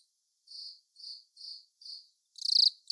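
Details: Velarifictous aspersus cricket song: four soft, even, high chirps about half a second apart, followed by a louder, rapidly pulsed buzzy chirp.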